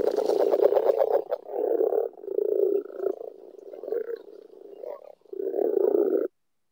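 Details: Agile frog, often calling underwater, gives a fast series of soft, low clucking or knocking pulses, rapid at first, blurring into a rapid pulsed series; later broader murmuring bursts, possibly a voice overlapping the frog.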